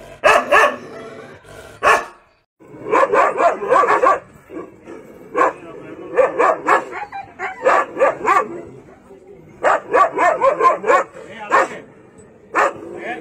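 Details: Aggressive Rajapalayam dogs, hunting dogs from the deep south of India, bark in rapid volleys. Dense runs of short, sharp barks are broken by brief pauses across thirteen seconds.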